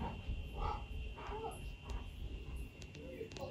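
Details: Key, a pet husky wanting churros he first tried and argued were waffles, gives a run of short wavering moans that rise and fall in pitch, several in quick succession, indoors amid low background hum.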